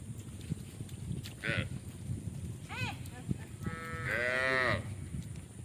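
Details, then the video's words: Tame cows roaming in a village field; two short calls followed by a drawn-out, richly harmonic moo near the end, over a steady low background rumble. "Tame Cows Roaming In The Village Field | Funny Cow Sounds"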